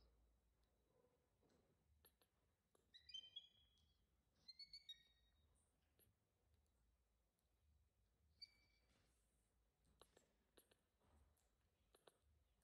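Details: Baby monkey crying loudly for its mother's attention: short bursts of high, thin, tonal squeals with bright overtones, clustered around three to five seconds and again near eight seconds, between soft clicks and rustles in a quiet background.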